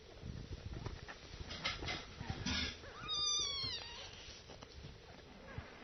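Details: Kittens suckling milk; a single clear high mew with stacked harmonics, bending downward, rises from busy rustling and suckling noise in a small room.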